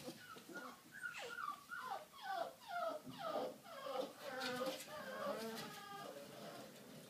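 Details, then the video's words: American Staffordshire Terrier puppy, 38 days old, indoors in a small room, giving a run of high, descending whimpers and yelps roughly twice a second, each sliding downward, with soft human speech in the background. "Amstaff puppy - 38 days old"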